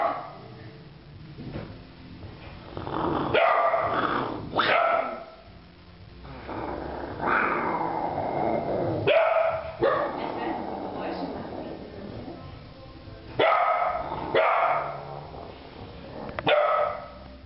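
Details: Three-month-old Rhodesian Ridgeback puppy barking at a white tiger: repeated hoarse, rough barks and growly yaps in bursts every second or two, with brief pauses between volleys.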